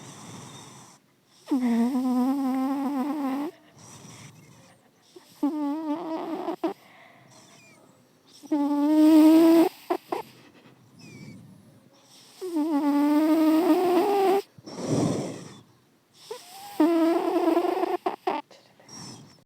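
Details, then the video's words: Mona, a pet cat, snoring: drawn-out, whistly, tonal breaths lasting one to two seconds, each rising slightly in pitch, five of them separated by quiet pauses of a few seconds. "cat is snoring"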